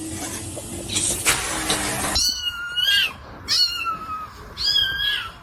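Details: High-pitched cat meows from a compilation of funny cats: three thin, falling mews spaced about a second apart, following a burst of rustling noise.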